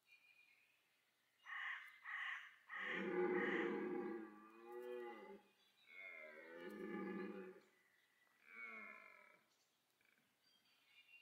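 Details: Rutting red deer at Parc Sainte-Croix park in autumn, two evenly matched stags pursuing and fighting, the roar drawing females; two short grunts lead into a long series of hoarse, wavering bellows, fading between bursts.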